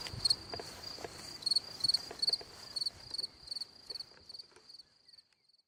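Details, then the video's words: A cricket in a hole in the ground sings at night, with a series of quiet, high, pulsed chirps repeating a few times per second and fading out, over rustling and scraping noises. "Watch and Listen a singing Cricket (Chirping sounds, Hole in the ground, Night Ambient Sounds)"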